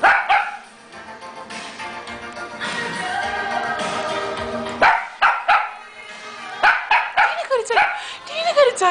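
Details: Female pet dog that loves the microphone sings along to loud music and clapping; near the end, short yelping howls rise and fall in a quick run of several calls over the music.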